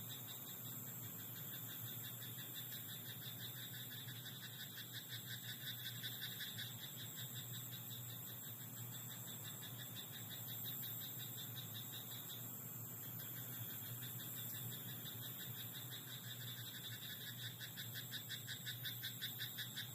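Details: Croaking frog in a night-time rice paddy, giving a continuous series of quick, evenly pulsed croaks, several per second, that swell and fade across twenty seconds, backed by a constant high-pitched insect drone and faint low hum.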